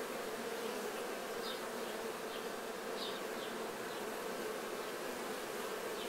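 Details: Many honey bees cleaning off unripe nectar during honey harvest, making a continuous mass droning hum. Short brighter buzzes of individual bees in flight cut across it every second or so.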